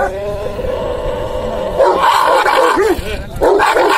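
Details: Dogo Argentino in an aggressive mood: a sustained tonal growl swells louder partway through, then gives way to a quick series of short arched barks and a final loud burst.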